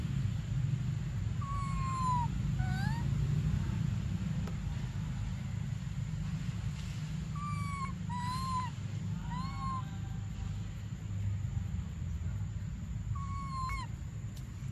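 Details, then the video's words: Baby monkey Briar crying for milk: a handful of thin, whistled cries near one pitch, some sliding downward, in scattered pairs separated by quiet stretches, over a steady low rumble and a faint high electrical whine. "Desperate Baby Briar Cries For Milk"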